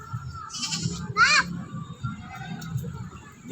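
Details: A goat belonging to a neighbour, refusing food from a child, gives a short buzzy bleat and a quick shaky second cry amid children's chatter and background noise.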